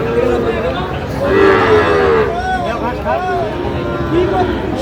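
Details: Sahiwal bull calves at Aftabganj cattle market, 16 August 2025: drawn-out, wavering moos over the constant roar of a crowd of traders talking.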